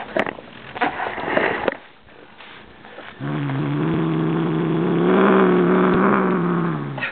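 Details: A Siamese cat gives a low, steady, rumbling growl that swells slightly and holds for several seconds as he goes for his new bird toy.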